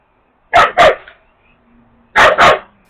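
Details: Female Jindo dog barking to provoke the pack-leader male, who turns his head away; two quick double barks, each pair of harsh bursts about a quarter second apart, pairs separated by over a second.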